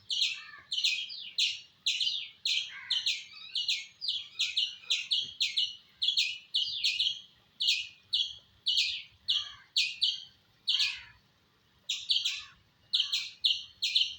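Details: Long run of piercing squirrel chirps, roughly two to three per second, steady and insistent, with one short silence near the end before the calling resumes.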